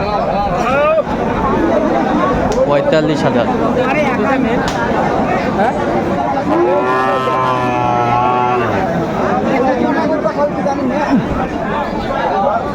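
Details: Cow lowing at Aftabganj cattle market in Dinajpur, Bangladesh, on 18 August 2024, a long droning moo with stacked harmonics in the middle of the stretch, heard through steady buyers' haggling and crowd chatter.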